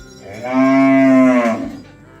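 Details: Ox herded to the farm area gives one steady, full moo about a second long, level in pitch and rich in overtones, fading off at the end.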